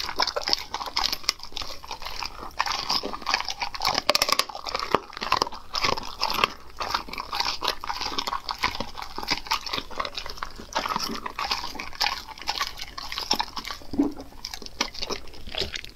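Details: Raw food being crunched by a dog in a small room: dense, continuous bursts of crackling bites and mastication, steady and busy throughout, with no other voices.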